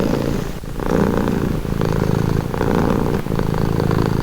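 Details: Close purring of a house cat, a calming sound; low buzzy rumble alternating between louder and softer breath phases about every three quarters of a second, brief dips between.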